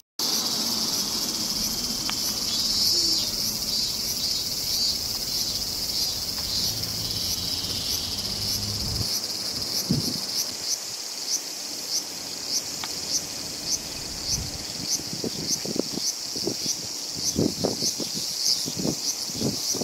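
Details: Robust cicada (Hyalessa maculaticollis), song.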